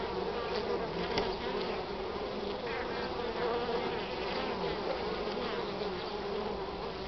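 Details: Spring honey bees around the hive on 8 March, in the northern part of the country, first collecting pollen from nature; a loud, even swarm drone with occasional sharper buzzes of bees passing near.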